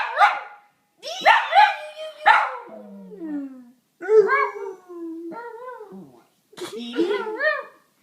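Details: Pet dog making weird noises while a person plays with him, answering her sounds: wavering howls and yowling whines in short bursts, mixed with a human voice, indoors.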